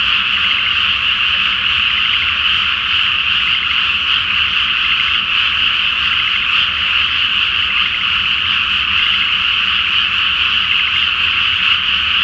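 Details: Frogs in a loud chorus at night in a flooded rice field before planting, under a full moon in Japan; dense, continuous overlapping croaks and trills form a steady band of sound with no pauses.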